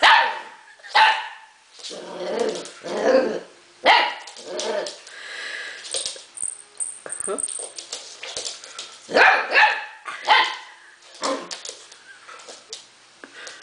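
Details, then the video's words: Young husky puppy barking and yipping in short clustered bursts, several close together near the start and again around nine to eleven seconds, with a faint high tone and human speech in between. "husky puppy"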